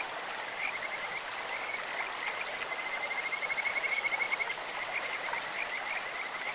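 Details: Kajika frog calling in a clear mountain stream: a high, bird-like trill of rapid pulsed notes swells in the middle seconds, over a constant rushing of water.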